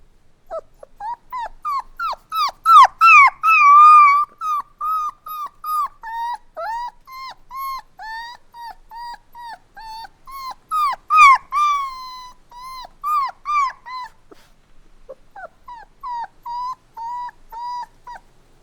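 Puppies whine and cry in thin, high, wavering notes, repeated several times a second.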